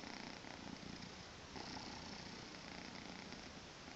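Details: Weekend-morning purring from Tommy, a Maine Coon kitten aged two months: an even, gravelly hum with gentle rhythmic rises and falls, unbroken for the few seconds heard.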